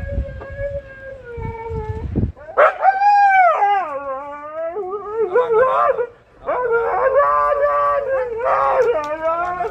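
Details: Husky Max, with companion Bombón, reacting as the owner jokingly pretends to abandon them by leaving on a boat: drawn-out wavering howls, first steady then rising and bending, breaking into quick yodelling bursts, with faint voices early on.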